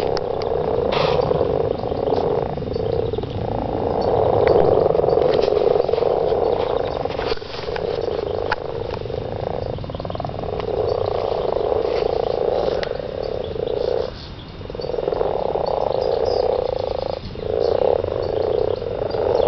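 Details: Frogs calling for mating in a garden, thick rattling croaks from many animals, with brief lulls near fourteen and seventeen seconds before the chorus resumes.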